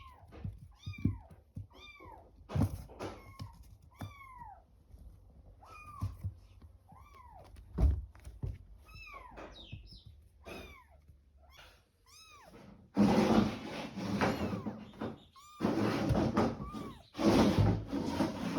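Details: Kitto and her kittens mewing: repeated thin, high, downward-curving cries in quick succession for the first half, then loud rustling and handling noise swamping the last seconds with a few mews poking through.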